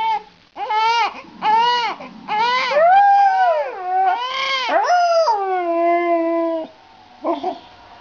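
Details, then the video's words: Dog howling while a baby cries: a series of drawn-out, wavering tonal howls, several short arched ones followed by longer sliding notes that fall and level off, with rich harmonics, then a brief final yelp. "Dog sings while the baby cries"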